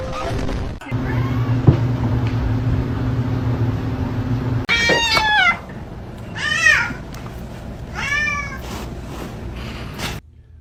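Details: Kitten meowing and crying, three arched, harmonic meows in quick succession after a steady low hum at the start, with laughter and voices nearby.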